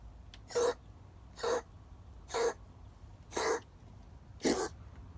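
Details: Gray female cat, unwell and acting oddly, giving short puppy-like yelps that sound like a small dog; five broadband, breathy calls roughly once a second, fairly even in loudness, over quiet indoor background.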